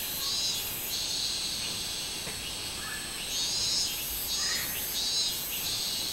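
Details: Minmin cicada singing on 24 July 2016: a dense, high buzzing drone with loud pulsed bursts swelling and fading about every second, over a constant shrill background hiss.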